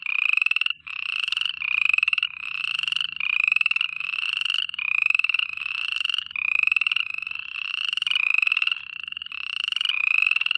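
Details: Many frogs calling at night, a steady run of buzzy pulsed trills, each under a second, rising a little in pitch and overlapping, with a soft low rumble beneath.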